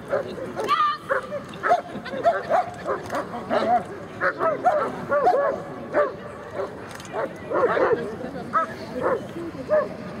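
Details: German Shepherd Cai vom Airmont during the 2011 Sieger Show performance test: short, sharp barks come in quick irregular bursts through the whole stretch, mixed with human voices talking in the background.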